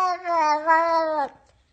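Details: Domestic cat talking back to humans, one long drawn-out meow lasting over a second, steady and fairly low, with a slight dip in the middle and an abrupt cutoff, then near silence in an indoor room.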